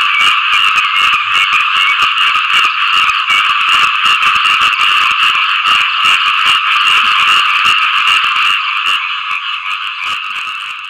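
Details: Frogs croak to attract mates after rain, producing a continuous, buzzy chorus of rapid pulses, about 150 per minute, that fades slightly toward the end.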